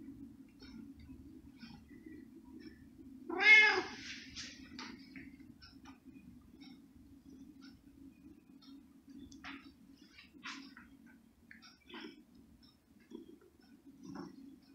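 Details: Domestic cat smelling and wanting cooked ham: a single clear, slightly drawn-out meow midway, surrounded by constant low hum and scattered faint ticks and rustles.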